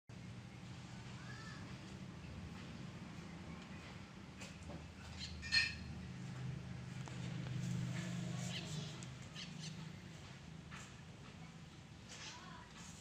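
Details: Bani, a tame stray calico mother cat, relaxing after just giving birth to four kittens: a low, steady rumbling purr runs through most of the recording, with faint bird chirps near the start and end and one sharp knock midway.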